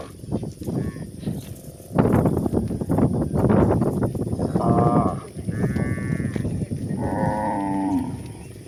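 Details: Village cows from a herd grazing on green pasture: loud crunching and tearing of grass, then several short, mid-pitched harmonic moos, the last one longer and slightly falling.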